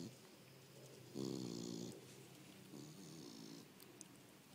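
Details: Lucy, a fat Beagle, snoring: a loud, rasping, buzzy inhalation lasting under a second, then a softer, longer drawn snore a second later, over a quiet indoor background.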